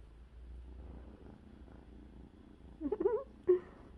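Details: Rescued kitten named Cherry, about a week after her rescue, gives a short wavering, wobbling meow followed by a brief clipped second call, over a soft low purring rumble indoors.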